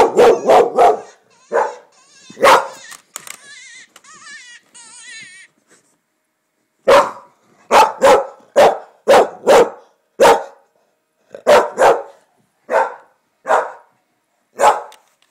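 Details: An English Springer Spaniel barks sharply and repeatedly in response to a coyote hunting call, a burst of wavering, yipping howls, played on a computer, apparently taking it for an animal.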